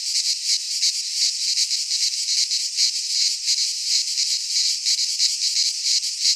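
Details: In a Greek pine forest at midsummer, cicadas sing a steady, high, sizzling buzz that swells and dips in quick regular beats, unbroken from start to finish and without other voices.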